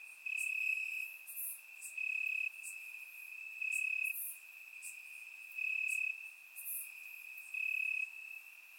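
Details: High continuous cricket trill recorded on a warm summer night in Bulgarian grass, with loud bursts standing out about every two seconds over a quieter steady background chorus.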